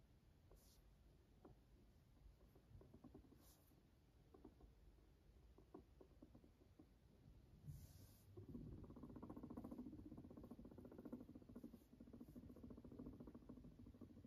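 A guinea pig gives a low, rumbling purr, a steady vibrating buzz that swells partway through.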